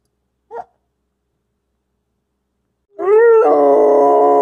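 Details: Young wolfdog puppy, between five weeks and four months old, gives a short yelp and then a long howl. The howl is a steady, rising-then-level tone with strong overtones, held for about a second and a half. No other sounds.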